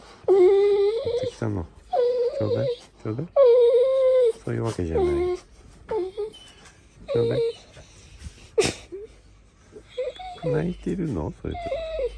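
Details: Golden Retriever "talking" in the morning: a run of drawn-out, tonal whines, some rising then falling, broken by short throaty grumbles and pauses, about nineteen vocal bursts a minute, with a faint click near the end.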